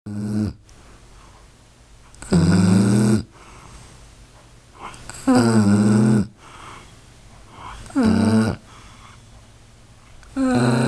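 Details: A sleeping pet dog snoring loudly; four long rasping snores, each under a second, with low rumbling bases and harmonic stacks, spaced about every two to three seconds with quiet breathing between.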